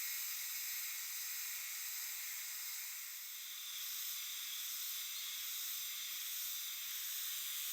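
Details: Euterpnosia chibensis (hime-harusemi) cicadas chorusing in a dark shrine or temple forest in Japan, their song rendered jiwa-jiwa; a dense, steady, high sizzling wash with a slight dip in loudness midway.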